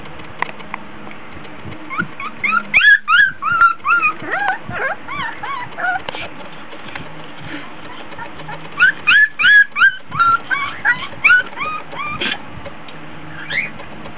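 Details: Three-week-old Border Collie puppies, 24 days old, in a whelping box during an indoor play session, fussy because hot and tired: bursts of high, thin whimpers and squeaky rising-falling whines in two clusters, with quieter gaps between.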